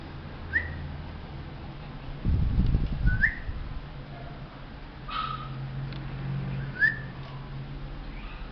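A Maltese dog gives short, squeaky, upward-sliding whines, spaced a couple of seconds apart.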